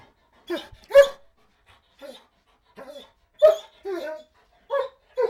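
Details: Dog whining and begging in a series of short, nasal, high-pitched whimpers and yelps, bursts spaced irregularly, some rising then falling, in an otherwise quiet space.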